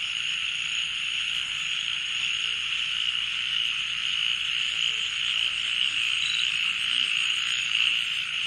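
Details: A steady late-night chorus of crickets at Balishira Resort, Srimangal: a dense, high shrilling trill that never pauses.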